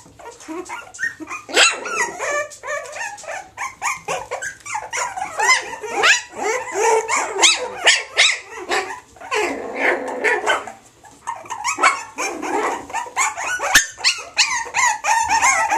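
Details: Springer Spaniel and Jack Russell cross puppies, from a female Springer Spaniel and a male Jack Russell, give dense, overlapping high yelps and whimpers, rising and falling, with hardly a pause for sixteen seconds.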